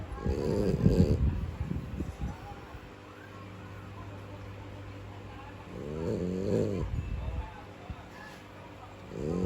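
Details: Khao Hom, a French Bulldog, sleeps beside a companion, giving low rumbling snores in three bursts, near the start, around six seconds and at the end, with a steady faint hum between them.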